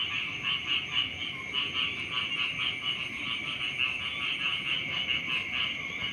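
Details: Morning frog chorus at the edge of rice fields, many overlapping rapid croaking pulses blending into a continuous high buzzing drone, with faint low rumbling in the background.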